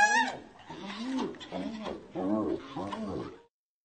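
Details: Hyena. A hyena calls in a rapid series of rich, nasal cries, each swooping up and then dropping away. The bursts come in a rhythmic string for a few seconds before breaking off.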